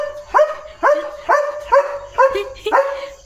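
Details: Leo, a pet German Shepherd, barks during a day of command practice and jumping onto a car; six sharp, rising barks about half a second apart, each with a bright tonal core, clear over a quiet background.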